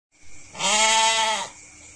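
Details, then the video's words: Goat giving a single drawn-out bleat, loud and quavering, lasting about a second, with a faint steady background tone before and after. "suara kambing domba embe"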